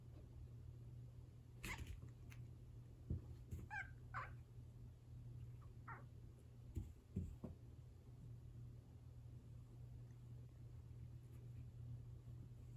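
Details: Rescued domestic cats indoors, an orange tabby eager to lick and play-bite a tortoiseshell housemate; a few short, wavering, harmonic-rich meows and cries bunched between two and six seconds, then quiet over a steady low hum with occasional soft taps.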